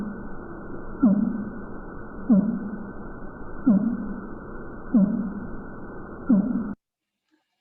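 A fin whale gives a run of brief, low, downward-sweeping pulses, evenly spaced about every second and a quarter. These stereotyped sounds carry far and let the whales communicate across great distances.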